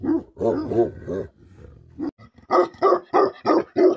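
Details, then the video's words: Angry Tibetan Mastiff, locally called Bhote Kukur, Nepal: a run of rough, growly barks, then five or six sharper, evenly spaced barks at roughly one every third of a second. No other sounds. "Angry dogs barking effect sound ||Tibetan Mastiff || Bhote Kukur"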